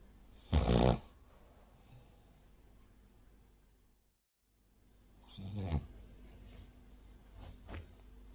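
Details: Sleeping pet Cavalier King Charles Spaniel named Rin, a flat-nosed breed snoring like a pug or bulldog, gives a loud harsh snore early on, silence, then a rougher rattling snore with soft snorts in a quiet room.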